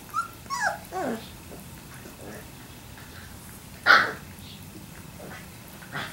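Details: Labrador Retriever puppies, three weeks old, giving thin high whines that slide downward in quick succession during the first second, then a louder short yelp near four seconds, with quiet stretches and faint rustling between.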